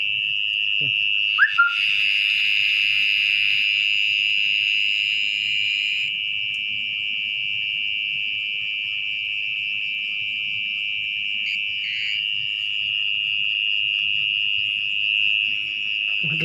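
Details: Mole cricket, called orong-orong, trilling at night from its nest in wet ground as the burrow is carefully dug open. The constant shrill buzz is broken only by short scraping and knocking sounds.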